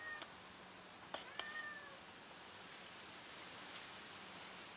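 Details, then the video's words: A lost kitten, back with her family, lets out a single drawn-out, slightly falling meow amid two sharp taps and a steady background hiss. "Lost kitten reunites with her family"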